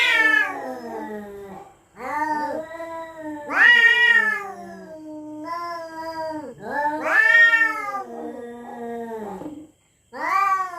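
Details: Cats at night in a territorial standoff, yowling threats: slow, moaning cries that swell upward then sag, repeated in long bouts of a few seconds each with brief silences between.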